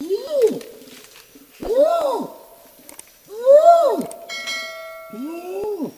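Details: Bornean orangutan (Pongo pygmaeus) producing four arching harmonic calls that swell and fall, about one every one to two seconds, with a steady ringing tone briefly audible near the end.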